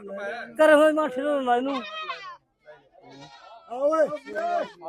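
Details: Goats at the goat market in Dhanaula: loud, wavering, nasal bleats, one long quavering cry near the start and another toward the end, mixed with men talking close by.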